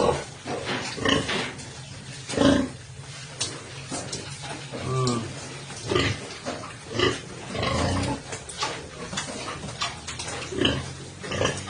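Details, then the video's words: Landrace sow in standing heat being bred with a junior Landrace boar, with repeated short harsh grunts and snorts at irregular intervals over farm background noise and some human voices. "standing heat na ang ating sow ipapakastahan naten siya nga junior boar landrace"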